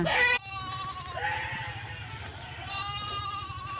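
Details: Goats, including small young ones following their mother, grazing on land next to a cultivated field; a short loud bleat is followed by a long, quavering, harmonic bleat running through the rest, over a low steady rumble.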